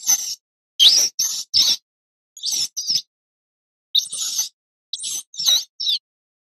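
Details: Mouse squeaking, high and shrill, in short bursts grouped in twos and threes, about ten squeaks over six seconds with silent gaps between, some notes bending upward in pitch.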